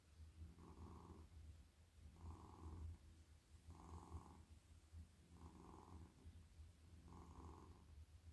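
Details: Very friendly, silky male domestic cat purring as it melts in a lap while being petted along the head, neck and body; steady deep rumble pulsing in five even breath cycles, each inhale and exhale lasting roughly a second and a half.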